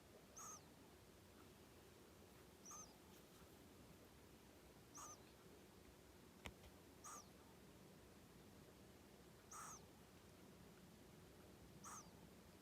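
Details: Kenta, a pet hedgehog, male, born 15 January 2020, snores steadily in sleep. Six whistly, wheezing breaths arrive every two to two and a half seconds, with one sharp click midway, over a quiet room hiss.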